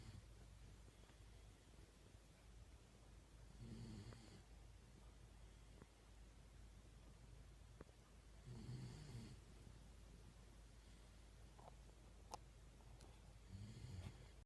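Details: Sleeping Shiba Inu Yun (遊雲), filmed December 1, 2016, snoring strikingly loudly: deep, rasping snores about every five seconds, each a short rough rumble, with faint clicks and soft room noise between breaths.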